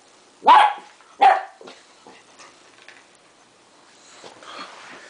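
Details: Young West Highland White Terrier puppy, 3.5 months old, playing with tape: two sharp high yelping barks close together, then faint scuffling, softer yips and a rising whine, with a person exclaiming just before.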